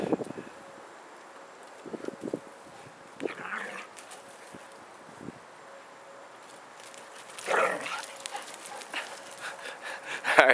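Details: Siberian Husky talking while teaching a puppy a lesson: short vocal bursts with harmonics, one near the start, one in the middle, a louder drawn-out one near the end, separated by quiet stretches with faint household background.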